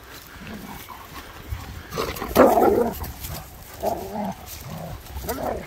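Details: Two German Shepherds, Nico and Zeeva, playing in sunshine in Hawick in the Scottish Borders. Low rumbling growls and grumbles rise into a loud burst near the middle, followed by two shorter growling phrases, with outdoor background hiss.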